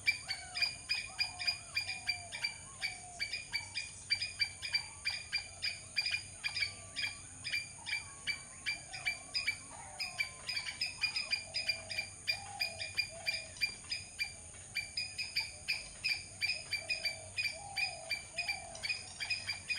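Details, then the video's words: Long bout of squirrel calling: dense streams of dry, ticking chips in quick bursts with brief pauses, accompanied by faint low wavering whistles and constant background hiss. "squirrel sound"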